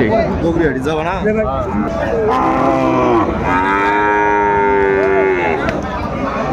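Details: Sahiwal bull calves at a cattle market in Kurigram, Bangladesh, 22 March 2025, bought by a farmer: a long harmonic moo holds level for about two seconds, preceded by wavering lowing, over constant crowd chatter and market noise.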